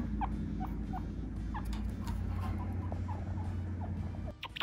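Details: Pet chinchilla gives a run of short, high, upward-flicking chirps repeated several times per second, over a steady low background hum.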